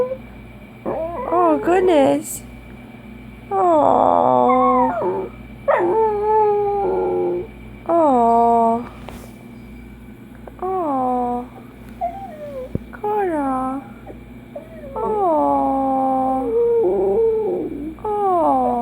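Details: Dachshund giving repeated short howls and yowls, roughly every two to three seconds, each curving up then down with strong overtones, while a woman talks to the dog between phrases.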